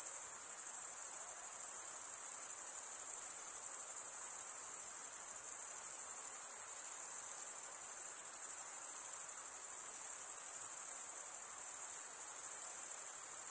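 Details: Crickets produce a sustained, shrill, uniform trill like a high hiss of overlapping chirps, unbroken for the whole stretch. No other animals or noises are heard.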